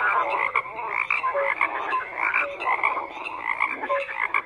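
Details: Frogs croaking together in a dense chorus: overlapping rasping croaks and short tonal notes, pulsing unevenly every second or so, with no other sounds standing out.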